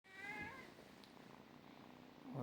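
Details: Domestic cat giving a short meow with stacked harmonics around the start, falling away after half a second into low room noise and a faint click.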